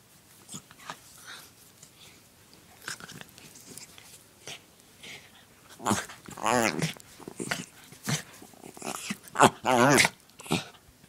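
A dachshund makes odd snorting, whining noises and sharp sneezes indoors, with a person speaking briefly.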